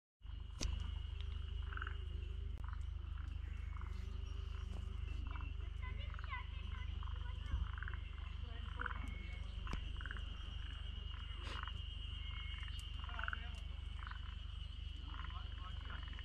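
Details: Forest green tree frogs (Zhangixalus arboreus) in Togakushi, Japan, chorus in short, repeated clucking bursts over the steady, high drone of cicadas (Terpnosia nigricosta).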